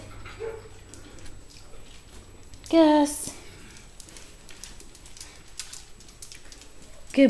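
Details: Gus, a blue Weimaraner foster rescue dog, grows impatient and hungry indoors at meal time while his food soaks. A loud, high harmonic whine of about half a second comes near three seconds, then a brief whine at the end, with quiet human talk between.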